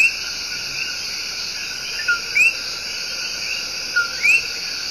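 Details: Coqui, a tiny but loud tree frog, giving its love song in El Yunque Rainforest, Puerto Rico: two clear two-note calls, a short lower note then a quick rising whistle, about two seconds apart, over constant buzzing insects.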